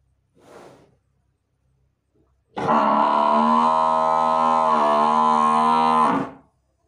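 A Murrah buffalo lets out a single drawn-out bellow, deep, buzzy and even in pitch, holding for more than three seconds before stopping abruptly. A faint, brief breathy sound comes just before it.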